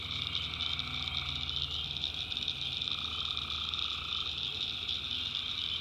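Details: North Carolina backwoods tree frogs at night form a thick, even chorus of high trills, joined by a mid-pitched drawn-out call for over a second midway and a low rumbling hum.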